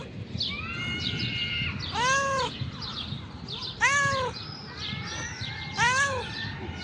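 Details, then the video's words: Calico female cat, hungry, fed dinner outdoors on a river bank: three strong arching meows about two seconds apart, each rising then falling, with faint thin whistled tones and rustling noise behind. "Very cute, hungry calico female cat got nice dinner on the river bank"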